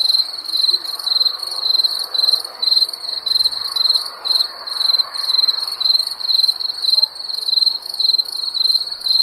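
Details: Crickets calling at night in summer: a high, thin chirping of trilled bursts that follow one another steadily, near two each second, against a quiet hiss.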